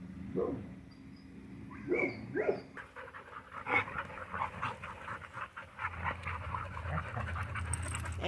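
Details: Nearly seven-month-old Cattle Dog / Great Pyrenees mix puppy in hot Texas weather, with a few soft sounds early on, then steady, rapid, breathy panting for several seconds, with some faint speech in the background.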